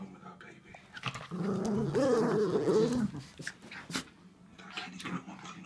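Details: Schnauzers playing and wrestling indoors: a rough, rolling growl swells for about two seconds, then fades into softer grumbles and scuffling, while a person talks nearby.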